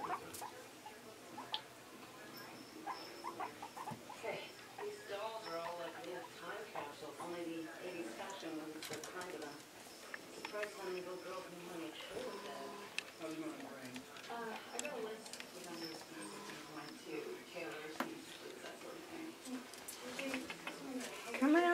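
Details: Excited by the space, male guinea pig Scruffy explores a bathtub filled with towels and hay while his cage is cleaned; rapid strings of high, harmonic squeaks run throughout, with a person calling his name and a television humming.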